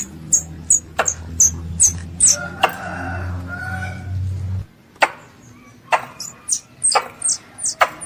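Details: Squirrel, called a pest, calling its mother with high descending squeaks and crisp clicks repeated about twice a second; a low droning hum runs under the first half, then stops abruptly and the calls continue.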